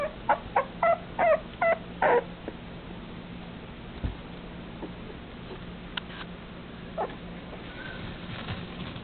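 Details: A male red long-haired Dachshund puppy gives a quick run of high, squeaky yelps, then falls mostly quiet.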